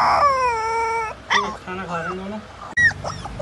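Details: A Siberian Husky's first vocalising: a drawn-out, high, tuneful whine, followed by a person talking.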